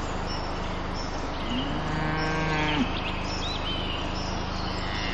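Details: Cow lowing in a meadow with a herd of cows, filmed from above by a drone: one drawn-out moo of over a second, rising then breaking off, over a steady mechanical drone hum and faint bird chirps.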